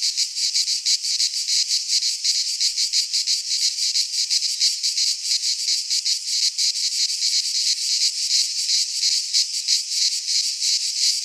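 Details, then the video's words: Cicadas singing in midsummer in a Greek pine forest: a dense, continuous high buzzing chorus with a rapid pulsing shimmer, steady in loudness throughout, no other sounds. "Cicadas singing in midsummer - Nature sounds from the Greek fauna - Sounds of cicadas"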